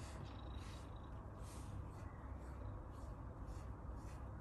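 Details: Low continuous purr from an Abyssinian cat enjoying grooming, a faint even rumble with soft rhythmic breath cycles and light brushing hiss.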